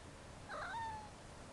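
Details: Somali cat, just woken up and still drowsy, gives a single short meow, a bright wavering call with a falling tail lasting about half a second, over quiet indoor room noise.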